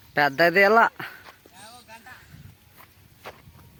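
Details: A sheep from a flock grazing an onion field gives one loud, wavering bleat near the start. Fainter bleats and soft outdoor noise follow.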